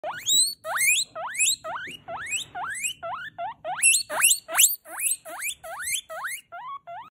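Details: Loud pet guinea pig calling because it wants food: a rapid series of about eighteen sharp, rising, whistled squeals, each sweeping steeply upward, repeated with barely a pause for seven seconds.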